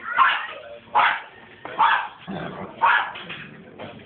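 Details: Japanese Spitz Maxie from the Philippines playing with Boogie, giving short sharp yapping barks in loud bursts about once a second, five over four seconds, with softer whimpers and faint voices between them.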